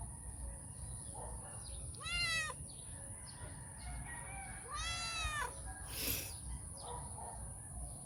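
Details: A female stray cat named Calita seeks cuddles and affection before her meal. She gives two long, wavering meows about three seconds apart, with soft shuffling, a brief noise burst and a constant high-pitched whine behind.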